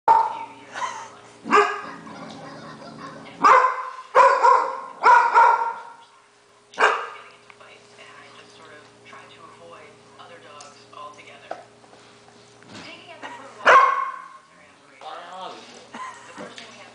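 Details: A female pet dog barking at the television while a dog-training show is on, which she does every time it airs; loud sharp barks come singly and in quick bursts of three, with television speech and a steady hum between.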